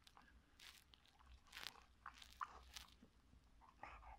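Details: A male Cocker Spaniel eating a pepper chews noisily, with sharp wet crunches and bites coming every second or so.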